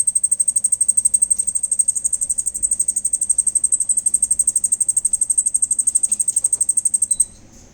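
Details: A cricket heard at night gives a high, thin, rapidly pulsed chirping that runs steadily before stopping abruptly.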